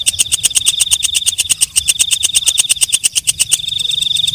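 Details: Walang kecek, known as the night grasshopper, ticking rapidly and sharply at night. After about three and a half seconds the clicks give way to a smooth, continuous high-pitched buzz.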